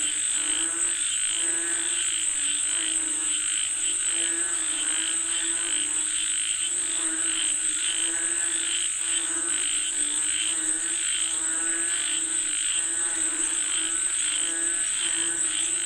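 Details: Frogs calling for rain, a dense chorus of rapid pulsed croaks overlapping throughout, with regular throbbing bursts about every second and a steady high insect whine running underneath.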